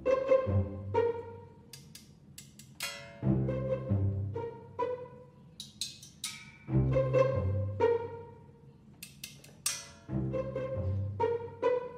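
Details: Playful orchestral music with plucked strings, bowed cello and violin, and timpani thumps in repeating phrases; no animal voice.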